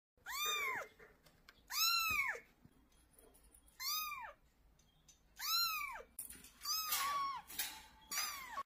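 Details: Crying domestic cat indoors; loud arched, wailing meows rising then falling, repeated about every one and a half seconds, six calls in quick succession in a quiet room.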